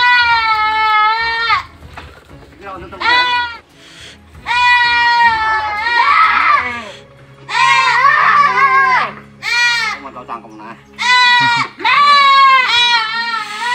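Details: Boer goat kids in a farm pen in Blitar during the harvest of young goats: loud, wavering bleats in bursts of one to two seconds, about six calls, with background music throughout.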